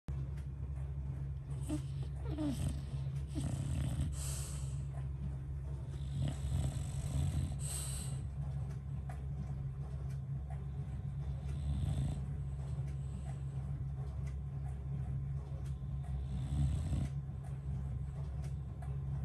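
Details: English Bulldog asleep at bedtime, snoring steadily with low, rough, rumbling breaths, with a constant low hum and occasional brief higher rustles and clicks.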